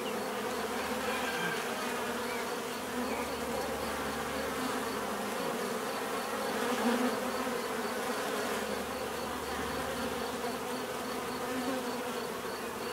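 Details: Continuous swarm of bees humming, a thick layered drone with a brief swell in loudness near the middle, faint repeated high pips ticking in the background.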